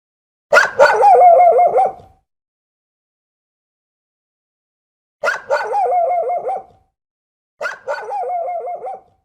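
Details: Three separate dog vocalizations, each a sharp bark-like onset drawing out into a wavering, yodelling whine lasting about a second, separated by long silences.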